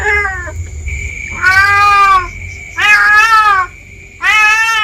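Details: Free-roaming village cat in backyard bushes meowing anxiously: a short meow followed by three long, loud, slightly falling meows, with a steady high whine and faint low rumble in the background.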